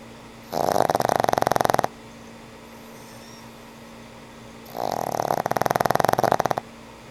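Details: Frank N. Stein the old pug sleeps and snores, producing two long, coarse, rapidly pulsing snores of over a second each, about four seconds apart, with quiet hum in between.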